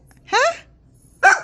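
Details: Pet dog, keen on chasing animals, stirred up by being told a cat is outside; a rising, tonal whine-like yelp, then after a pause one abrupt harsh bark.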